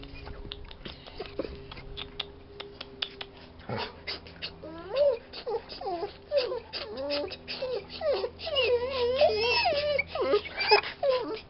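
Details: Bored pet Bernese Mountain Dog named Jessy whimpers and whines indoors in a long run of wavering, looping, rising and falling cries, growing louder toward the end, with her name spoken close by.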